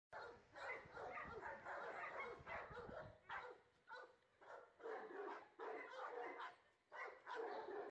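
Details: A Great Pyrenees dog barks in rough, noisy bursts, roughly one every second, which sound somewhat distant and muffled. A scuffling, rustling noise runs through the first three seconds.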